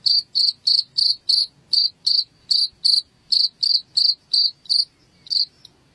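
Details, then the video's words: Cricket chirping, sound offered in Indonesia to drive rats out of the house: sharp high chirps repeated about three per second, with a short pause near the end. "SUARA JANGKRIK"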